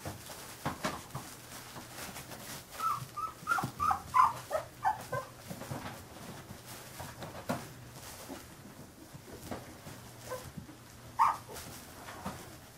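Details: Carolina Dog puppies, fifteen days old, whimpering indoors: high thin squeaks and whines come in an uneven cluster mid-way, with one more sharp squeal near the end over faint room noise.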